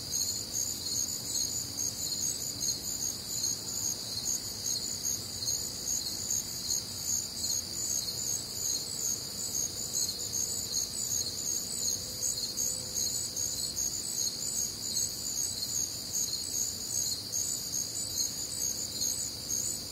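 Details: Warm, humid summer night in the Midwest, crickets chorusing: continuous high trilling bands pulsing about two to three times a second, unbroken for the whole stretch over a faint low background hum.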